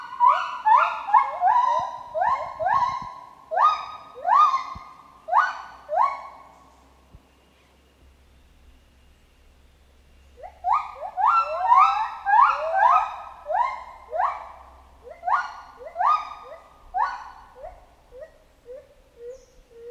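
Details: Chimpanzee in a jungle setting giving a rapid series of rising, harmonic hooting calls, about two per second, in two bursts separated by a quiet gap, the notes sliding upward and growing louder before fading.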